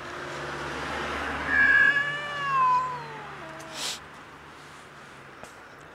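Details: Huge fluffy friendly stray cat, hungry and cold on the street in winter, gives drawn-out meows with clear harmonics: a long rising-falling wail around two seconds, then shorter falling meows, over low steady background hum.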